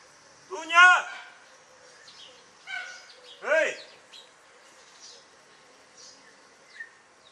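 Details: German Hunting Terrier Dunja on a wild boar hunt, giving three barks spaced over about three seconds. The first is loudest, the later two are shorter, and the outdoor background is quiet.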